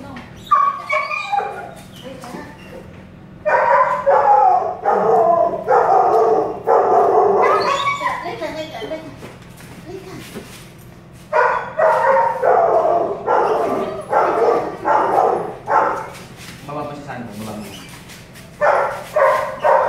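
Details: Belgian Malinois at a stud session, home service in Caloocan City, barking in rapid runs of harsh barks separated by brief gaps, with people talking in the background.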